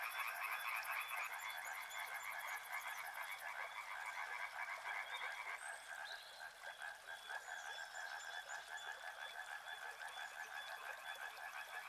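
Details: A riverside frog chorus, dense croaking that thins slightly after the first few seconds, with a rapid high pulsing buzz early on and scattered brief high whistles over the continuous trilling.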